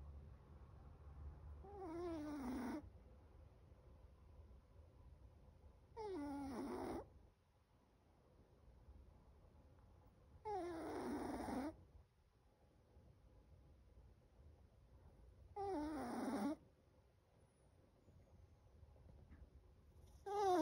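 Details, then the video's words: Sleeping seven-month-old Chihuahua snoring loudly: five wheezy, whistling snores with wavering, sliding tones, each lasting about a second and coming roughly every four to five seconds, with quiet indoor hush between them. "7 month Chihuahua: Chocolate snores so loud."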